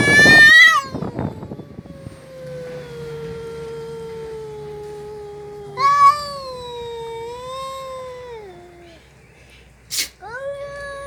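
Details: Pet cat from a household with Mickey and a red cat, giving drawn-out wailing meows: a loud opening cry, then a long, slowly falling moan, a second wavering howl near six seconds, and a short rising meow near the end.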